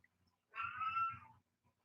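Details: Single domestic cat meow indoors, live; one steady, drawn-out mewing note lasting under a second, with faint low rumbling beneath and quiet room background.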